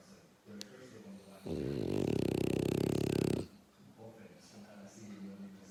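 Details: A dog snoring: one loud, rasping snore lasting about two seconds with a rapid buzzy pulsing texture, set between quieter tonal murmurs and soft breathing sounds.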